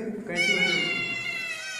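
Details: A newborn Labrador Retriever pup gives one long, high, thin squealing whine. It starts after a low murmur, holds a steady pitch with a slight waver, and fades near the end.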